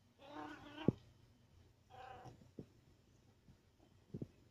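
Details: Cat wanting attention gives two drawn-out, nasal meows a little over a second apart, the second one shorter, followed by sharp clicks and soft taps in a quiet indoor setting.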